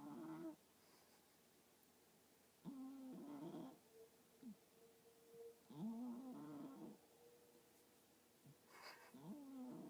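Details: A sleeping female cat snores, each breath a rough, low, buzzy rasp lasting about a second with a slight rise and fall in pitch, repeating roughly every three seconds over a quiet background.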